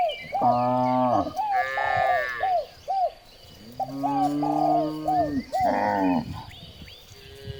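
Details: Morning herding of cows along village streets: loud, low, rich moos overlapping one another, each lasting about a second, broken by brief arched chirps in the background.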